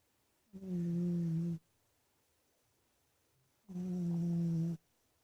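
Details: Sleeping indoors in his bedroom, the big male cat Ninnie lets out two low, buzzing snores about three seconds apart, each lasting around a second, with silence between.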